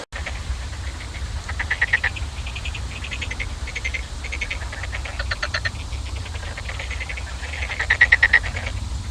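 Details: Frogs giving rapid rattling croak series over a steady low background hum, the pulsed bursts repeating irregularly and swelling louder near the end.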